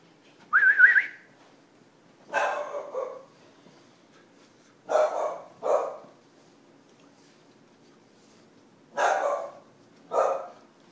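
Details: Nine-week-old English Bulldog puppies: a high rising whine-like yelp opens, followed by five short, hoarse barks at irregular gaps of about one to four seconds, some in quick pairs, against a quiet indoor background.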